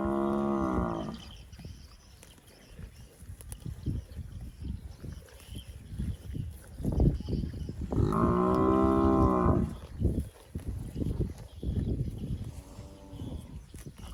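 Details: Plump cattle eating grass in scrubby bushes give three moos: a low harmonic call at the start, a longer, louder one midway, and a shorter, softer one near the end, with chewing and rustling between them.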